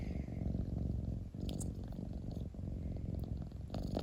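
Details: Cat purring up close, a dense, grainy low rumble with rapid fluttering pulses. It is broken by two brief breath shifts and a few soft ticks.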